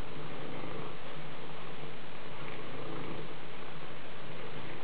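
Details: Low, even purring from a Maine Coon cat, unbroken rumble from start to finish.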